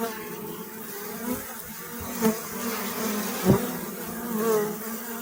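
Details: Bees drone in a continuous low hum, broken by a few short sharp clicks or knocks.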